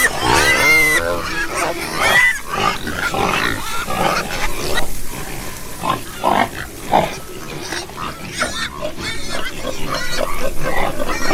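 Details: Several pigs on a farm, with loud high harmonic squeals opening the clip, then a dense mix of grunts and shorter squeals overlapping throughout, some squeals rising and falling sharply.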